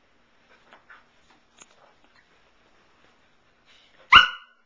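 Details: Pearl, a nine-month-old female Samoyed on her beloved couch, gives one sharp bark near the end after a few seconds of faint soft rustles and small sounds.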